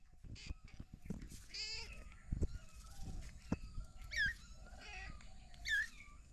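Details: Three kittens with their caring mother cat, a family found in a house storeroom; several short high harmonic mews, some rising then falling, scattered through the clip over low background rumble.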